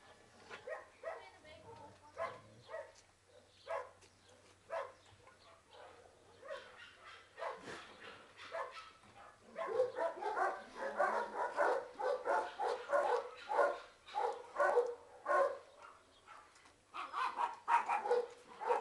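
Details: Two 8-month-old male terrier mix puppies, from a big terrier breed like Stafford, awaiting adoption: sparse short barks early on, then a dense run of rapid, repeated yapping barks from about ten seconds onward, with a low hum in the background.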